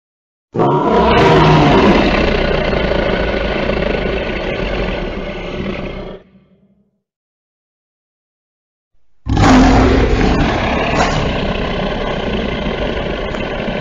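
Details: Lion (Panthera leo), roar.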